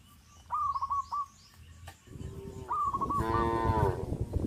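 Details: Cows on a traditional village farm forcing their way into a garden through a broken bamboo fence; short hooked bird chirps repeat in the first half, then a loud, low, drawn-out moo swells over the last second and a half.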